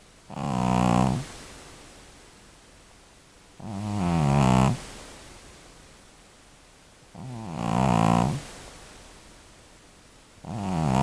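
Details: Devlin, an elderly female cat estimated to be over 12 years old, snores a bit loudly: low, rattling, buzzy breaths roughly every three and a half seconds, four snores in a row in a quiet indoor space.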